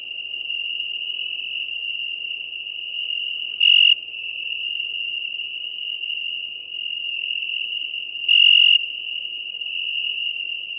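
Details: Unbroken ringing trill of a European tree cricket, Venice, Italy, on 2 September 2021. The steady tone briefly swells louder twice, about five seconds apart, over a soft low hiss.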